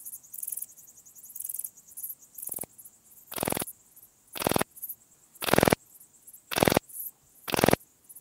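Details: Graceful bush-cricket (Pachytrachis gracilis) singing at Vela Ucka, Croatia, on 30 July 2023: dry, noisy rasping bursts, each about a quarter-second long, repeated roughly once a second, with faint high ticking between them.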